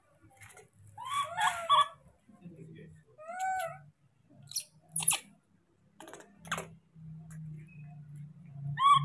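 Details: Monkey; begging call; infant calling for its father to bring food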